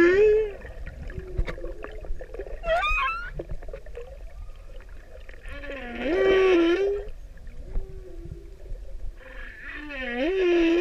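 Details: Singing male humpback whale courting a female in Pacific waters: sustained tonal hums, a brief high warbling sweep, then loud scooping harmonic moans that rise and fall, with clicks and low background rumble.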